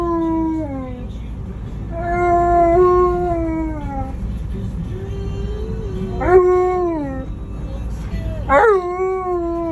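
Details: An Alaskan Malamute riding in a vehicle howls in long, wavering notes that slide downward, with a steady rumble behind.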